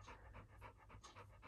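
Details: Labrador Retriever puppy Little John pants rapidly in a bedroom, reportedly wanting the air conditioning switched on. Evenly spaced breathy huffs, about six in under two seconds, with a low steady hum underneath.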